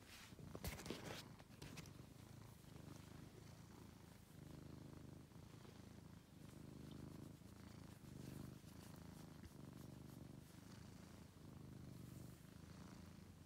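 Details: Domestic cat, a male rescued after being found sick and very thin in a basement, purring indoors: a steady low rumbling drone with gentle pulses of louder breathing cycles, and a few brief handling rustles near the start.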